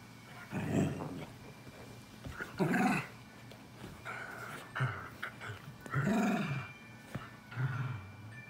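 A dachshund gives low, rough barks with growly edges, spaced irregularly a couple of seconds apart.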